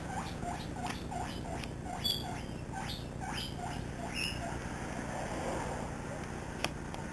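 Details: Misty, a seven-week-old pet guinea pig loose in a living room, squeaking like a squeaky toy as she runs about with companion Peanut; quick high chirping squeaks in a steady run for about four seconds, then quieter rustling and one click.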